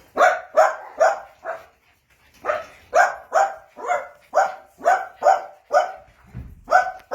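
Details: Steady volley of shrill, clipped barks from playing Jack Russell Terrier puppies, roughly two or three each second, briefly pausing once, with a low thump near the end.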